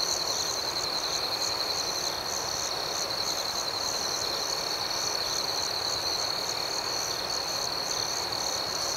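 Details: Nighttime cricket chorus outdoors, a continuous high-pitched trill at a constant pitch with a softer rhythmically pulsing band above it, layered over a steady wash of dense insect hiss, with no other clear sounds.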